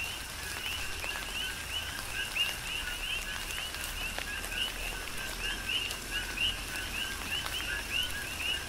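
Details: In a tropical downpour on Hawaii's Big Island, coqui frogs keep up a rhythmic chorus of quick rising two-part chirps, many voices overlapping, while rain patters steadily and drops tap nearby.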